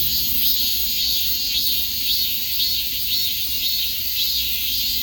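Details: Piercing, sustained cicada buzz with soft regular pulses close to two per second, a rhythmic shimmer over a constant high drone.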